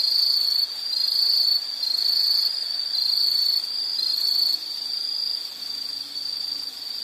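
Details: High insect trill delivered in about one-second bursts separated by short gaps at first, then settling into a softer, steadier continuous buzz for the last few seconds.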